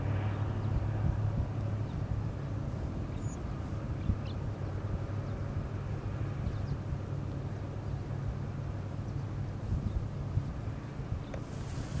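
A steady low engine-like rumble fills the recording, with faint outdoor noise and no clear animal calls.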